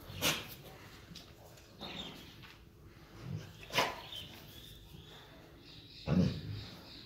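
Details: Imported Tibetan Mastiff in Punjab giving about four short, sharp, deep barks at uneven gaps of roughly two seconds, over a steady background hiss.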